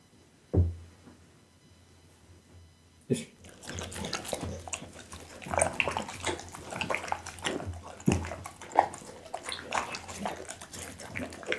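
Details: Bounce, a pit bull, eats raw food such as boiled loach, tuna, beef kidney, lamb backbone and horse meat. After about three quiet seconds, wet crunching and smacking bites follow in a rapid, irregular run, recorded on an Insta360 ONE R.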